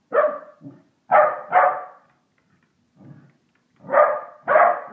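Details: Pembroke Welsh Corgi, a household pet, barking at a Christmas decoration toy; five loud, abrupt barks in pairs and singles, with a soft low grumble in a pause.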